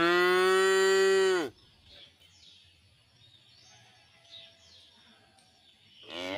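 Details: A tame cow in a village cattle pen, resting among calves: one long steady moo of about a second and a half, then quiet with faint bird chirps, and a new moo beginning at the end.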